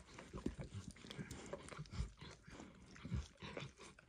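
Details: Emperor Max the dog eagerly licking eggs and diluted peanut oil off a bumpy orange mat; thick, wet slurping laps with low smacks roughly every half second, close and constant.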